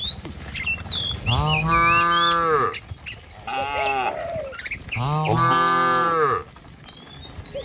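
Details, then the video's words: Cattle herd driven by a herder along a village road lined with trees and rice fields: two long, drawn-out harmonic moos with a shorter, quieter moo between them, while birds chirp faintly in the background. "Suara Sapi Moou Sepanjang Jalan Desa"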